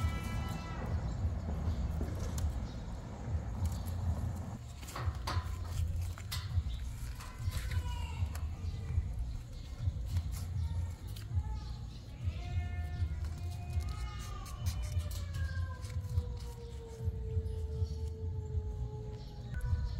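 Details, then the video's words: Cats meowing: several short arched mews, then long drawn-out meows that slide downward in pitch near the end, heard over a steady deep rumble and scattered clicks. "Meow cats meowing"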